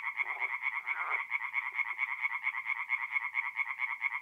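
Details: Singing tree frogs at a forest pond by night, North-East Italy, mid April; a loud, clearly rhythmic chorus of quick nasal pulses, about five per second, with a couple of lower croaks near the start.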